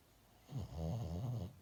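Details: Dog sleeping indoors lets out a single snore of about one second, a deep buzzing rattle with a slight wavering pitch, starting abruptly and ending softly.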